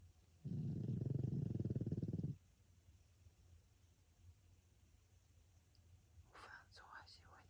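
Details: Sleeping pug François gives one long, deep, buzzing snore of nearly two seconds. Quiet room noise follows, then gentle whispering near the end.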